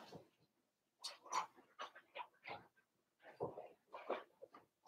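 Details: Four-week-old Cavalier King Charles Spaniel puppies, Daisy's litter, in their puppy pen. They give a busy run of short whining whimpers and squeaks in uneven bursts, several overlapping, indoors in a small room.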